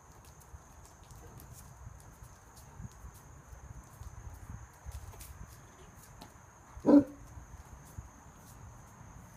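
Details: Female Great Dane bouncing and barking at a squirrel perched overhead on an archway; one short, sharp bark near seven seconds stands out over soft thumps and footsteps, otherwise quiet.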